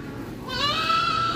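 A ram gives a drawn-out, wavering bleat that holds a steady nasal pitch.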